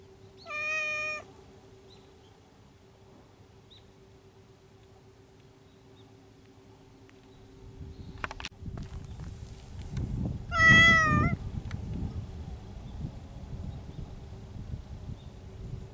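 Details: Feral mountain cats courting in spring: two loud, rich, wailing meows, about a second each, separated by roughly nine seconds of quiet with a steady hum, the second followed by low rustling and handling noise.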